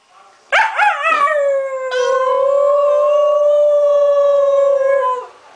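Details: Little pet dog 'talking' with its owner: a few short yips, then one long, steady, sustained howl-like tone lasting about three seconds before dropping away.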